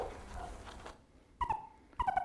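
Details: Meerkat sentinel call, a dog-like bark given by a guard to signal that all is well, from arid southern Africa: after near silence, two clipped, harmonic barks with a slight downward slide, the second followed by quick repeats.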